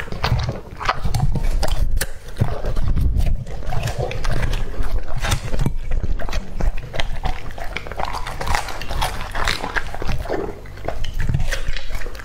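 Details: Young male English-type Labrador Retriever, two and a half years old, tearing into a whole raw squab; continuous loud crunching, gnawing and slurping, dense bursts of chewing with brief pauses.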